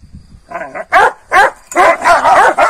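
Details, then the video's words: Kangal dogs, given a rabbit overnight, pick fights with one another in the morning: a low growl opens, then loud, harsh barks come in a quick burst of four or five. "GECE TAVŞAN VERDİM KANGALLAR SAHBAHA BİRBİRİNE SATAŞTILAR"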